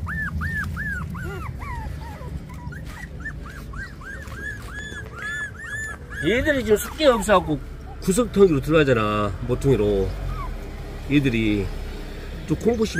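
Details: Puppies 24 days old make a run of short, arched, high squeals, repeated quickly. A person then starts talking, and music plays in the background.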